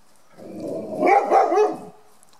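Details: Ruby, a five-year-old 36 kg female Rhodesian ridgeback, barks while on guard in her back yard in July 2018; a single deep, rough bark rises in loudness and breaks into two or three quick pulses over about a second against a quiet background.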